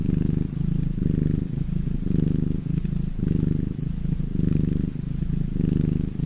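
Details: Domestic cat purring when happy: a low, throaty rumble with rapid pulses, swelling and fading in breath cycles about once a second, about six cycles, steady throughout, with no other sounds.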